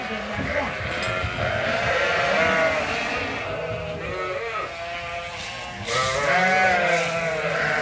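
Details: Sheep at Ewetopia Farms as feeding rounds are done. Wavering bleats from several animals overlap with a murmur of background sound and occasional clatter.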